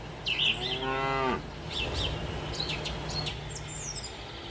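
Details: Dairy cow giving one short moo with stacked harmonic bands lasting about a second, followed by faint chirping birds over a steady low background hum.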